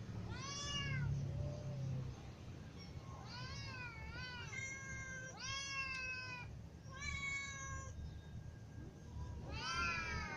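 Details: Ginger cat with little and adult cats meowing because they are hungry: several overlapping harmonic meows in quick succession, some rising then falling, others flat and nasal, over a steady low hum.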